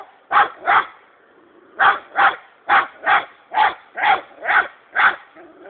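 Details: Young hunting dog Bingo, known as Sako, six months old, holds a hedgehog at bay with steady barking: nine sharp barks, mostly in pairs and singles about half a second apart, with a short gap early on.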